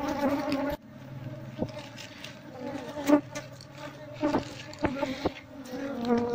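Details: Asian honey bee (Apis cerana) colony nesting in a traditional house in Seluma, Indonesia, being moved into a hive box: a steady low buzzing hum with sharp knocks and handling noises throughout.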